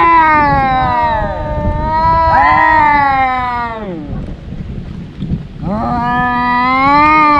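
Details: Two brother cats in their daily fight: drawn-out, wavering yowls from two cats overlapping, a pause with low rumble around five seconds, then another long rising-and-holding howl.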